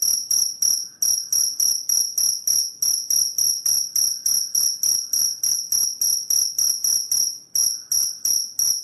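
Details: Cricket sound meant to drive away rats: a rapid, even series of shrill, tinkling chirps, roughly three or four each second, with one brief hitch in the rhythm near the end.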